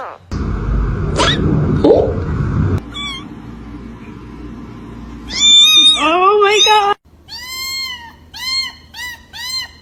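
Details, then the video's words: Domestic cat giving rising-falling meows in the second half, several in quick succession. Human speech and background noise come first, and a noisy, wavering cry sits in the middle. "A FUNNY SOUND OF CAT"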